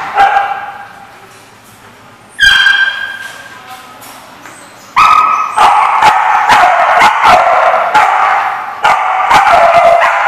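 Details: Dogs barking at The Barking Lot on 24 October 2014: a few sharp harmonic barks, then from about five seconds a dense, rapid run of overlapping yaps and barks, several each second, with little pause between them.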